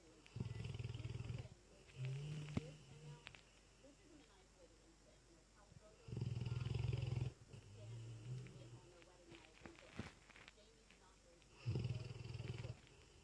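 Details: Dezo, a sleeping Lurcher with a very loud snore, gives deep, low rumbling snores of about a second each. Four of them come at uneven intervals, with quiet breathing and faint room noise between.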